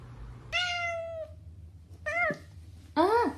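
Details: Angry pet cat in an indoor compilation of upset pets: a long, level, whining meow, then a shorter meow that drops sharply, then a loud final meow that rises and falls, over a steady low hum.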